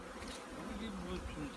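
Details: Honey bees at the Handari apiary readying the colony for winter; a low, steady droning hum holds at one pitch throughout, soft and even in loudness.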